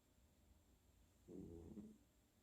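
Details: Sleeping senior tabby cat Abby snoring, captured with the microphone held very close on 10/8/2020; a single soft, low rumbling breath lasting under a second rises out of faint background hiss.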